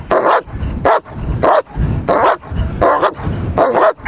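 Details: Trained German Shepherd protection dog guarding, giving harsh, powerful barks in rapid succession, about seven barks roughly every half second, each a loud broadband burst with short silent gaps between.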